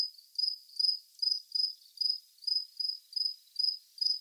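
A cricket chirps steadily, with high, pulsed trills repeated about every third of a second.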